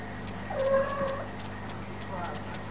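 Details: Kitten playing with its mother, giving one drawn-out, slightly wavering meow that rises then falls, followed by a second softer, shorter mew. A steady electrical hum runs underneath.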